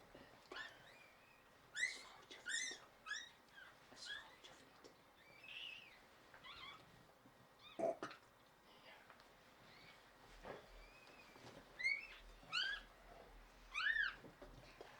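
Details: High squealing cries during a Shiba Inu birth indoors, where the mother Yuna delivered four puppies (three female, one male) early on 19 January 2023. Short piercing bursts come every second or so, with a soft low hum near the end.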